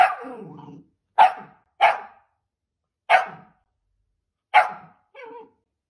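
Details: Sausage dog, a pet Dachshund, barking in sharp single barks spaced roughly half a second to a second and a half apart, opening with a drawn-out growly bark and closing on a softer shorter one.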